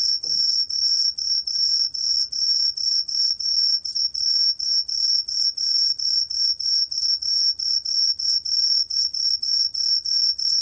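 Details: Truljalia hibinonis cricket, recorded in 2020 for Korea's National Institute of Biological Resources: a high, bright trilled chirp pulsed about three times per second in a steady, unbroken run, with a faint lower overtone and quiet background.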